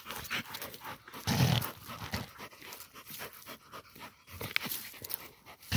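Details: A female Pit Bull pants hard while catching a peccary, with rapid airy rasping breaths in steady series and one louder low burst early on over rustling outdoor noise.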